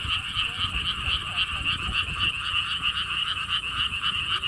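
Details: A frog chorus at the lotus theme park in Siheung, South Korea, heard as rapid, regular croaking pulses ringing in two tones, carrying on without pause, against soft rumbling in the background.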